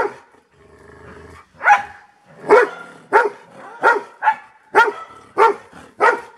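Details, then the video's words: After a quiet low rumble, this Golden Retriever settles into regular single barks, about eight of them, each spaced under a second apart, bright and forceful with a slightly rough edge. "Sound of Golden Retriever Barking."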